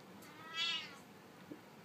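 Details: Siamese cat wanting to go out into the sun gives a single short, bright meow that swells and fades within half a second, fairly soft against a quiet indoor hum.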